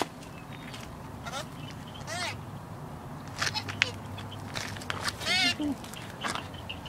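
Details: Eight-week-old purebred Rottweiler puppy reacting to hearing its owner's voice over the phone; several short, high, falling whiny yelps scattered through the clip, with a person speaking Russian nearby and handling noises.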